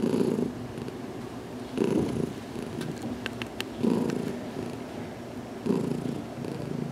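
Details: Purring from Heidi, a pet cat about two weeks in her new home, enjoying a head massage indoors in a closet; continuous low throbbing purr with stronger bursts roughly every two seconds, faint clicks in between.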